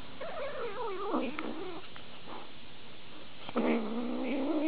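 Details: A domestic cat from a funny cat compilation meows twice: a long, warbling, drawn-out call that slides downward, a pause with soft knocks, then a second rising-and-falling yowl with rich overtones.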